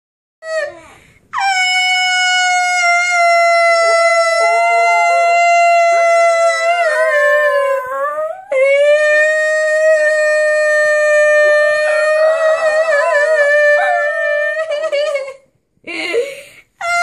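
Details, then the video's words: Sebastian, a schnauzer, howling along with a person indoors: long sustained tonal howls with rich harmonics and wavering, sliding pitch, in two main drawn-out phrases separated by a brief break. "Schnauzer howls with owner"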